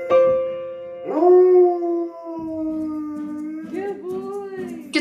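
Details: Pet dog singing along while his owner plays the piano, a daily habit he insists on: long drawn-out howls held on one sustained note with slight wavers, following a few piano notes, ending with a sharper higher sound.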